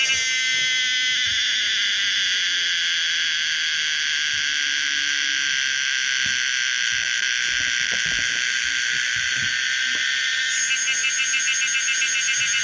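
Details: Loud, steady high-pitched drone of the cicada Pomponia linearis held for many seconds, turning into a fast pulsating warble near the end; faint low background rustle beneath.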